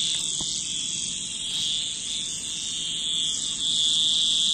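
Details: Cicadas in nature give a steady, shrill, unbroken buzz with two bright high bands, lightly pulsing in loudness and holding the same pitch throughout.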